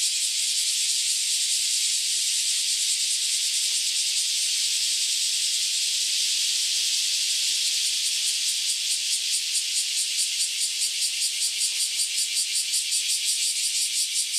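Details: Loud chorus of cicadas that have just emerged after about ten years below ground: a smooth, hissing high drone that turns into distinct rapid rhythmic pulses in the second half.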